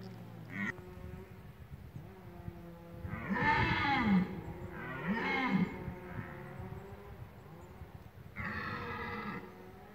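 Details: Rutting red deer roaring in the OHZ Lądek Zdrój forest district, Poland: a brief call, then two long harsh rasping roars back to back, and after a pause a further drawn-out roar, over a faint low hum.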